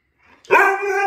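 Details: A male Siberian Husky gives a brief, tonal, rising howl-like yowl, as if answering his owner in a back-and-forth "conversation".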